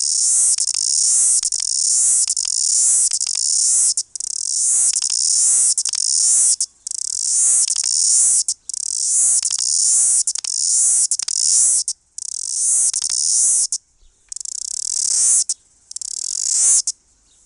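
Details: A New Zealand chorus cicada, the country's largest and loudest cicada, sings a loud, hissing buzz in repeated bursts of one to two seconds.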